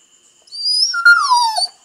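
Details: Female Rhodesian Ridgeback pet dog giving a drawn-out whine that slides downward in pitch and trails off, with a thin high tone running alongside it.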